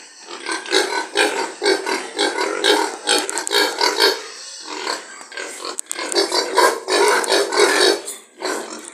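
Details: Pigs on a pig farm giving loud, harsh, harmonic squeals and grunts in rapid bursts about two per second, overlapping callers with brief pauses in between.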